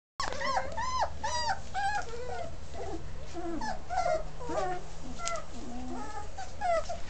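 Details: Basset Hound. Several Basset Hound puppies give a steady chorus of high, quavering whines and short yelps. The cries rise and fall and overlap, with a low hum running underneath.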